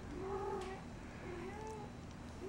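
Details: Persian kittens Kumquat and Kemo Sabe in a basket, one waking up; two drawn-out, tonal mews, the first longer and louder, the second softer and rising, against a low background hum.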